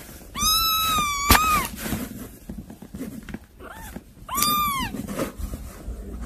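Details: Two drawn-out kitten meows, each holding steady and then dropping at the end, separated by a brief softer mew. Indoor scuffling and a sharp click are heard in the background.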